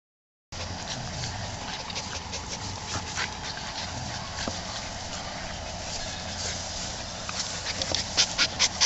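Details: Adult Keeshonds, a father and mother, playing with their puppies; soft rapid breathy panting in quick irregular bursts with small whimper-like sounds, the bursts growing louder toward the end.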